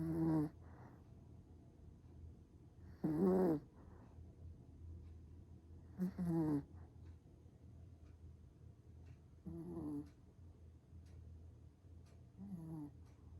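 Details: Black Pomeranian, a small dog, snoring in sleep: louder raspy, throaty snores about every three seconds, each a short burst with a nasal rattle, against a constant low background hum.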